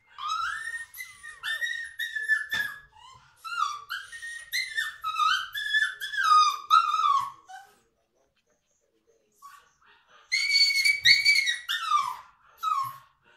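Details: Litter of seven toy Schnoodle puppies only a few days old, a Miniature Schnauzer mother and Toy Poodle father; high thin squeaks and whines in overlapping bursts, a quiet gap, then another burst of squealing.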